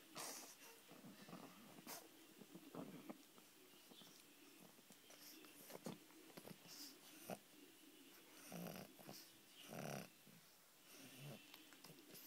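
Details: Pug named Lexie asleep in bed indoors, snoring: wheezy, snorting breaths in irregular noisy bursts, with a longer, louder rasping exhalation near the end and soft rustling between breaths.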